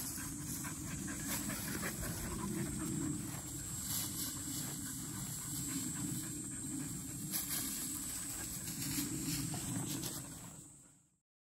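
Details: Field-line Labrador Retriever puppies at 197 days old, black female Dori and yellow female Pin, with 12-year-old Ma, during a midday break; quick breathy panting at about three to four breaths a second over a steady low rumble, fading out at the end.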